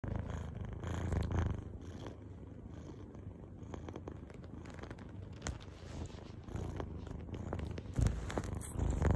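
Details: Little cat purring while grooming itself, a low steady rumbling purr with soft licking and rustling sounds close by.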